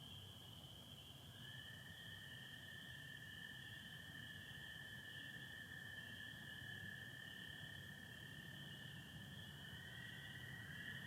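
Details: Spring peepers and American toads in Michigan on April 24, 2025, on a night of stars, satellites and some overcast: an unbroken high peeper chorus over a long, low, steady toad trill starting near 1.4 seconds, with another trill entering near ten seconds.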